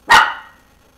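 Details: Dog in a dim room lit by a TV, eager for the bone another dog is chewing, lets out a single sharp, loud bark that rings briefly and decays quickly.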